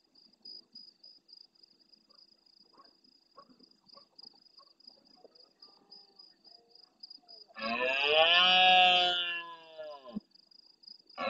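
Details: Large red deer stag roaring intensely at nightfall near the camera in the Doñana marsh at El Rocío, Almonte, Huelva, Spain, answering distant stags; after faint clicks and steady insect trilling, one loud, hoarse, harmonic roar lasting about two and a half seconds.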